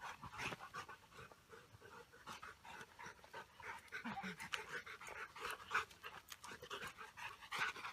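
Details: Pair of Rottweilers from a breeding kennel at their new home on a grassland with soldiers; steady rapid dog panting throughout, breathy and rhythmic, with faint background rustling and a few soft clicks.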